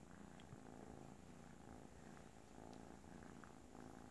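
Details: Little kitten Kisha purrs like a freight train, an unbroken low, throbbing rumble that stays even in rhythm and loudness from start to end in a quiet indoor setting.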